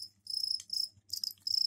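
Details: Crickets kept in a container, with soil provided for laying eggs, give their mating call. Males chirp to attract females. Three short, high, buzzy trill bursts are broken by brief pauses, with a faint low hum underneath.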